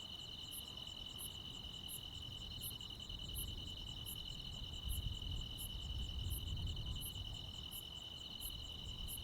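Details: Countryside crickets with other insects calling through a midsummer night in Korea, a steady piercing trill in two close bands, faint sharp pulses about three a second above, and a low rumbling background swelling midway.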